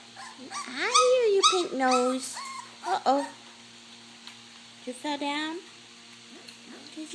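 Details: Hungry puppies at a meal of mash let out a cluster of wavering whines and squeaks early on, then go quiet before a single bent whine, with a faint background hum.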